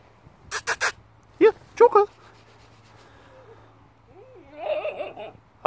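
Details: A 9-week-old German Shepherd puppy plays with a piece of wood. Sharp knocks from the wood come first, then two short squeaky yelps and a high, wavering, warbling whine near the end.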